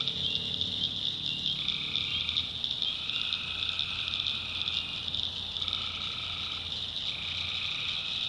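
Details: Night chorus of tree frogs in a North Carolina backwoods swamp. A steady shrill wall of sound holds throughout, while lower sustained calls about a second long come and go in overlapping turns.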